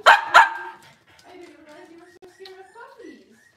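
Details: Cavalier King Charles Spaniel indoors on a kitchen camera at a puppy-raising home on a cloudy Monday morning: two sharp loud barks in quick succession, then softer drawn-out tonal whines and voice-like sounds trailing off.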